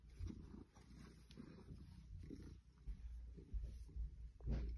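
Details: Female Maine Coon, eight years old, rubbing against artificial plants in a room at home; a low continuous rumbling purr swelling and fading in pulses, with light rustles of plastic leaves.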